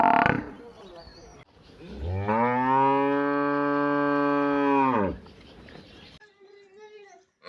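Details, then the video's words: Buffalo in a village, kept alongside cows, giving one long, deep, steady moo of about three seconds that rises in and falls away at the end, after a brief noisy burst and followed by faint rustling. "Village Big buffalo and cow sound"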